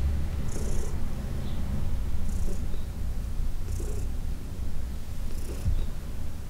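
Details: Deep rumbling purr from Heidi, a 14-year-old cat adopted from a New York City shelter, during a June 17, 2021 massage, with four soft swishing strokes spaced about one and a half seconds apart.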